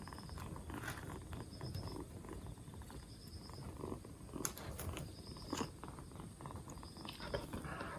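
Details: Black Bombay kitten, two months old, rescued four days earlier and recovering from a cold; soft low purring rumble underneath scattered clicks, rustling and faint repeated high tones.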